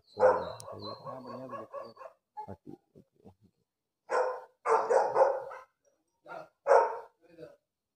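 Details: Friendly pet dog barking slowly, with a few spaced, rough bursts in the second half, after a stretch of human voice and short clicks at the start.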